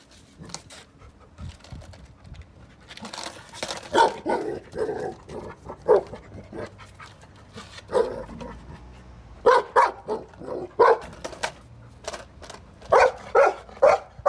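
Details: A Golden Retriever that hates skateboards barks at one in short, loud, repeated bursts with uneven gaps, keeping it up for about two minutes.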